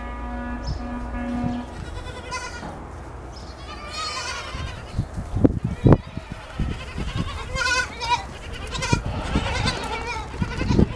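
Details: Goats in the morning while a kid drinks its mother's milk: several wavering, harmonic bleats overlap midway, with low thumps, knocks and rustling throughout.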